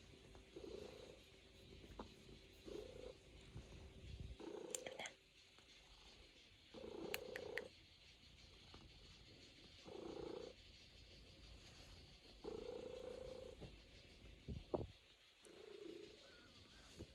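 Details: Purring from a Norwegian Forest Cat kneading on a person's lap indoors: a soft, rhythmic rumble in repeated bursts about a second long with short pauses, plus faint rustling and a few brief clicks.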